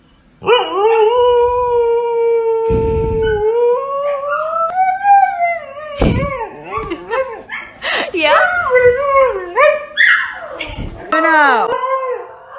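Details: Dramatic Siberian Husky vocalizing indoors: a long, steady howl held for several seconds that breaks into wavering, talking-like howls bending up and down, with a few sharp clicks and knocks in the room.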